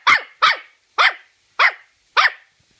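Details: Nikita, a Toy Terrier, fighting against its owner's hand, gives five sharp, high, yappy barks spaced about half a second apart, each clipped and slightly descending, in an otherwise quiet room.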